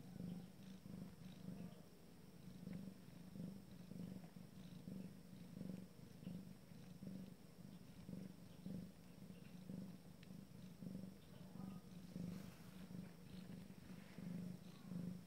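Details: Purring Abyssinian cat at the first litter's first shared family meal, a continuous deep hum pulsing with each breath in and out, roughly one cycle per second, with no other clear sounds.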